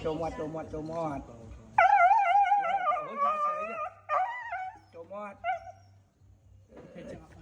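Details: Female dog crying out in pain for help, giving a sustained, wavering high-pitched scream that breaks into shorter cries, opening and closing with people speaking close by.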